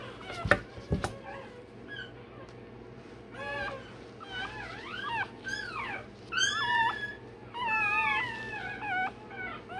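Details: Day-old Rottweiler puppy crying while its tail and dewclaws are done indoors: thin, high, arching squeals and whimpers, rising then falling, repeated in uneven bursts, with a couple of sharp knocks at the start and faint room hum.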